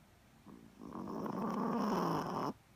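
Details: A Chihuahua snores while having a snooze, with a rough, rattling breath that swells and holds for about two seconds.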